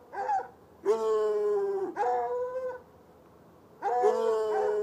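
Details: One white and one dark hound, chained outside in a bushy spot by an irrigation ditch, barking at night from about 10 yards; a short yelp then drawn-out, level, baying barks of about a second each.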